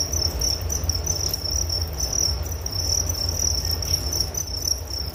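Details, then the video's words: Crickets keep up a bright, high-pitched pulsing chirp in fast regular rhythm, a nature sound meant to lull listeners to sleep, with a steady low hum underneath. "Relaksasi Suara Jangkrik Penghantar tidur || Nature Sound of Crickets"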